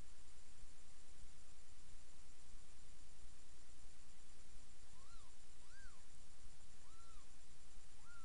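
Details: Newborn kittens, almost three days old, in a litter of seven nursing from their mother Miss Kitty in a box indoors; four short thin arched squeaks near the end, rising then falling, over steady low hiss.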